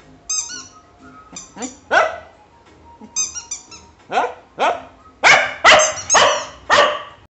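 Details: Cocker Spaniel singing: a run of short, yelping howls, each dropping sharply in pitch, about nine in seven seconds and growing louder toward the end, with steady high musical tones sounding between the first calls.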